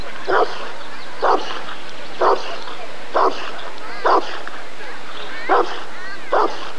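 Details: Rottweiler barking at the 1994 ADRK Körung breed survey: deep, loud single barks repeated roughly once a second, seven in all, with faint voices murmuring in the background.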